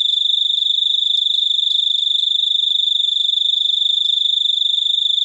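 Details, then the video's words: Cricket chirping in a continuous, rapidly pulsed high-pitched trill, a steady ringing tone repeated about 214 times a minute with no other clear sounds. "suara jangkrik super unik"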